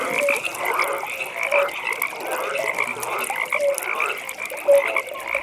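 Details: Pond frogs calling at night: brief pure croaks recur at intervals of roughly a second beneath a dense, persistent trilling chorus and crackling background.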